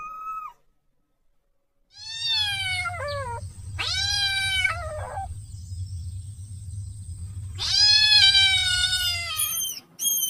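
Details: A kitten cries for its mother with a string of high, strained meows, some short and falling, some long and wavering, over a steady low rumble and a faint high whine.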